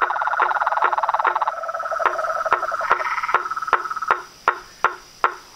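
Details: Chorus of toads, frogs and tree frogs: a steady, sustained trilling hum overlaid with sharp knocking notes repeated about two and a half times per second, the hum fading out so the knocks stand alone at the end.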